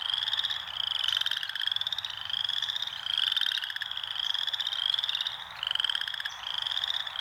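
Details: Frogs calling in nature: dense, overlapping high-pitched pulsed trills, each rising slightly and lasting about a second, repeating in quick succession over a lower buzzing harmonic band, with no other clear sounds.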